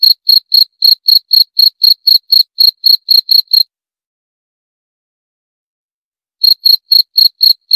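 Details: Cricket chirping in a steady series of short, pure, high-pitched pulses about four per second, stopping for nearly three seconds of silence before resuming; no other sounds.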